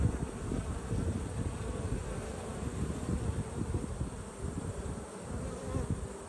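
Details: Dense low hum of honey bees at an open hive during an inspection on 19 March 2022, a continuous buzzing drone with a faint fluttering texture and no voices.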